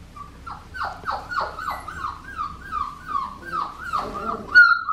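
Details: Young blue merle female Australian Shepherd, whimpering in a series of short descending yelps, about two per second, each sliding down from a high note, with a sharp squeal at the end.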